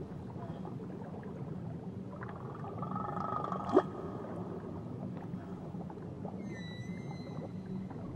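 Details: Tahiti whale song: a soft wavering tone builds into a single bright rising whoop at mid-clip, with thin high whistled strands near the end above a constant underwater wash.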